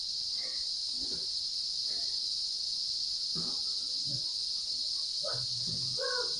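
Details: Cicada (kuliglig) high in the trees around midday, its call growing louder: a continuous shrill buzzing drone dominates, while soft human voices murmur underneath.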